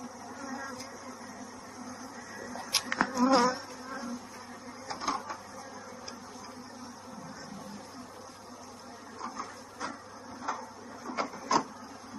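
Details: Honey bees at a bee farm in Kanchipuram, Tamil Nadu, India, fill the air with a steady, low buzzing hum and brief louder tonal bursts as a queen bee emerges.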